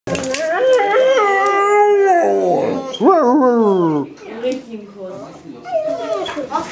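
A White Shepherd husky mix howls in long, wavering, sliding tones, with quick rising yelps.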